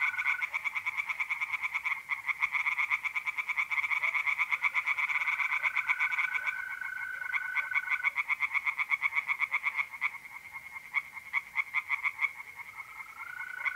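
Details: Tree frogs calling from a pond on an April night in north-east Italy: dense, fast croaking pulses with short lulls, and intermittent smooth trilling of mole crickets in the background.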